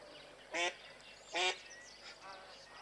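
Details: Two strong nasal honks from blue wildebeest stampeding away from a male lion, followed by two fainter, more distant calls.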